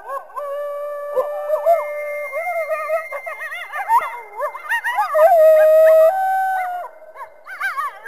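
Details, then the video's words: Winter backyard, a coyote calling through the trees: overlapping sustained howls held at steady pitches, with fast warbling yips and upward-bending cries woven around them, continuous for several seconds. "Coyote Sounds"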